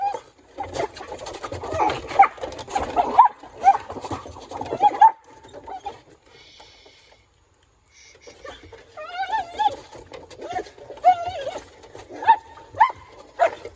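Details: Mr. Speckles, a collie, plays on a children's playground during agility work over stairs with his favorite hexball. High wavering whines and short yips come in bursts, then a quiet gap, then more wavering whines with sharp yelps.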